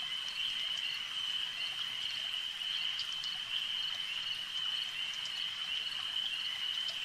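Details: Frogs calling at a lake at night, a dense, unbroken high-pitched chorus that holds one shrill trilling tone throughout, with faint scattered clicks above and no other clear sounds.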